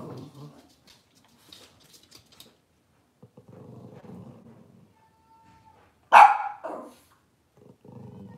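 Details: Cavalier King Charles Spaniel in a home kitchen on a cloudy Monday morning. A single sharp, loud bark breaks in about six seconds along, preceded by soft rustling and low murmurs, with a faint steady tone in the background.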